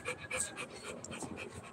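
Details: Rottweiler at play, a brief run of quick breathy pants, about four puffs in under two seconds, close and clear.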